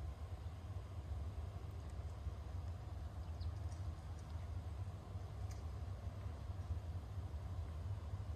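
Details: Brown-and-white stray cat purring steadily while being stroked and rubbing against a hand: a continuous deep, rumbling drone without pauses, with a few faint soft clicks.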